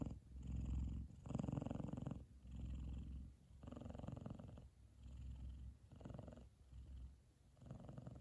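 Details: Kumba, an F2 Savannah cat, purrs contentedly while cuddling asleep with his brother Taj resting on his head; deep vibrating purr swelling and fading with each breath, about once per second, loud and steady indoors.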